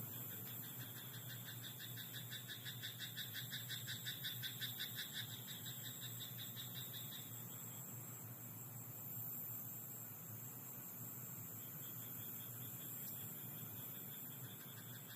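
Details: Rice-paddy frog calling at night, a run of quick rhythmic croaking pulses for about seven seconds, then only faint scattered notes, against a steady low drone and high-pitched background whine.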